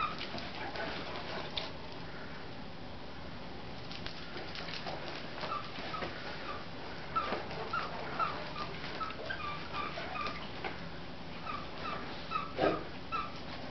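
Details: Great Danes, three females named Leena, Nadia and Shanti, play-fighting and playing tug at work; faint, short high whimpers and yips come in scattered bursts over a steady background of shuffling and rustling.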